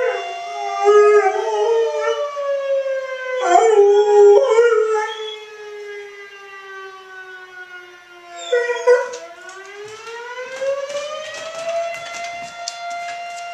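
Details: A dog named Oscar howling at a sounding fire alarm, with repeated quavering howls that waver and bend in pitch and a final long rising howl, layered over the continuous steady tone of the alarm.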